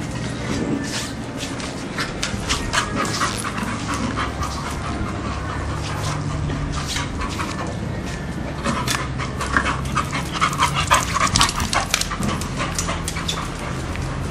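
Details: Pet Bull Terrier searching for somewhere to rest, breathing in fast rhythmic pants about two per second, rough and breathy, with occasional soft whimpery sounds and a steady low background hum throughout.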